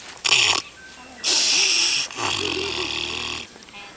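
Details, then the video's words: Pig on a farm in New Zealand snoring loudly: harsh, hissing breath bursts, each with a low rattling rumble underneath, about three noisy pulls within four seconds, separated by quieter gaps. "Snoring Pig"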